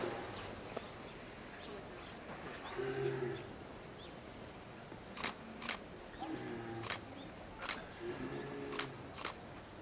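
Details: Lila, a two-year-old female polar bear cub at Maruyama Zoo in Sapporo, Hokkaido, keeps calling to her mother Lara to nurse on 19 January 2017. Low, droning moans come in several bursts, with sharp camera shutter clicks between them.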